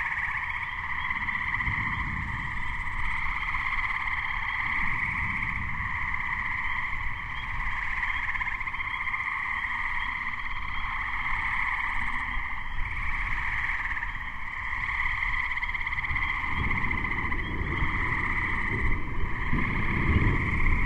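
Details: Gray treefrog chorus recorded in May 2010 ahead of an approaching thunderstorm; dense continuous trilling bands fill the whole stretch, with many Spring Peepers calling in the background and low rumbling noise throughout.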